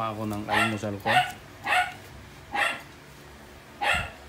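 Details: Shih Tzu at breakfast being offered scrambled egg: a woman's voice speaks briefly, then four short, sharp barks follow at uneven gaps of under a second to over a second, over a low background hum.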